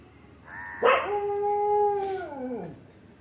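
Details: Dog making a single clear, tonal howl held level for over a second before bending downward and fading.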